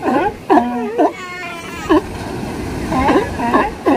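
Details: A mother sea lion on a California beach gives loud, short, wavering, nasal barks that bend up and down, over steady surf.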